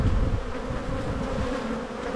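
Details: Honey bees buzzing during a spring hive inspection in a bee yard, with brood boxes opened; a steady low hum with tonal bands, overlaid by heavy rumbling handling noise and wind at the start.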